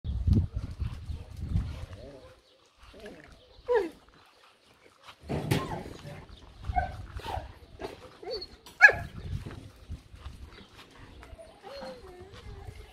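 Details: Several female German Shorthaired Pointers in the pens of a summer kennel near Mangalia bark in short, irregular bursts, some sharp and clipped, others drawn into rising whines. Low rumbling noise and possibly a human voice sit underneath.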